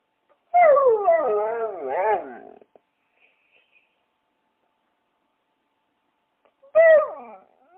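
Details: Dog vocalizing in a wavering, whining howl for about two seconds, pitch sliding up and down in rippling bends, then a shorter falling whine near the end after a pause of silence.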